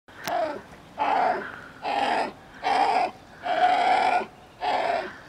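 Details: Coyote pups talking to their mother: five rough, whining bursts about half a second to a second long, each with a steady tonal core and a noisy edge, coming roughly once a second with short quiet gaps between.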